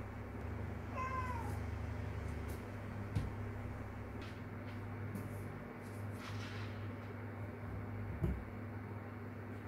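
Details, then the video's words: A stray kitten calling its mother gives one short, rising then falling meow near the start, followed by a low steady hum and a couple of faint knocks. "새끼고양이가 엄마를 부르는 방법"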